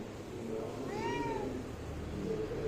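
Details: Kitten meowing to its mother for food: a single short, arching meow rising then falling, heard over steady background hum.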